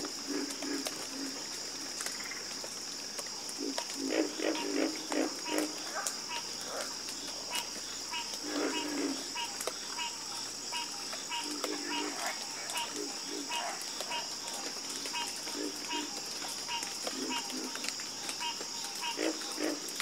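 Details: Frogs croaking together in a dense chorus: quick clicking and rattling bursts repeated unevenly, some low croaks, over a constant high-pitched droning hiss.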